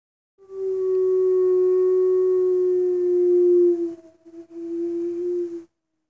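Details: Wolf at Northwest Trek in 2019, howling in response to two other wolves, heard through a cabin window: one long, steady, pure-toned howl held about three seconds, a brief break, then a second shorter howl at the same pitch.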